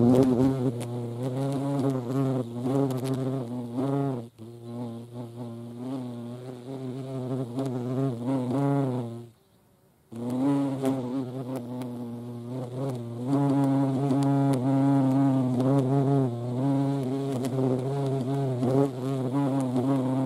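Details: Deep, humming wingbeat drone of European hornets (Vespa crabro) visiting a feeding place, with rising and falling pitch, interrupted by a short silence midway before the buzzing resumes.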